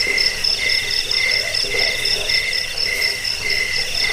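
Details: Cricket sound for driving away rats, bedtime listening and songbird tutoring; two shrill voices chirp in rapid alternating bursts over a dense background trill.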